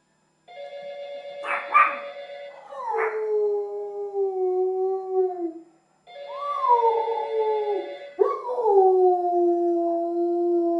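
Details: German Shepherd howling: a steady tone opens, then long, smooth drawn-out wails that slide slightly downward, with a break of silence before a second run of sustained howls.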